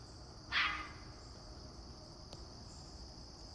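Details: Fox kit from a vixen's last litter practising alarm calls early in the morning near a house: one short, rough, noisy scream, then quiet with a faint click and a constant high-pitched background hum.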